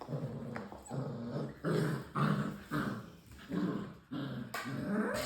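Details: A litter of six-week-old English Springer Spaniel puppies give short, low, rumbling growls with a few higher whimpering yips.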